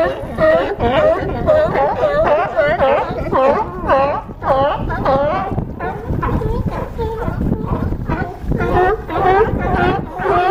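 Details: A chorus of California sea lions barks steadily from a harbor dock at Crescent City, California. Raspy, honking calls overlap from several animals, with a slight lull midway before the barking picks up again.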